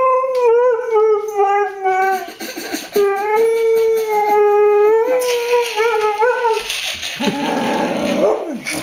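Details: Xoloitzcuintli female howling for chicken at dinnertime indoors: a series of wavering harmonic howls with short breaks, pitch sliding and quavering, followed by an owner's speech, rustling, and a little music near the end.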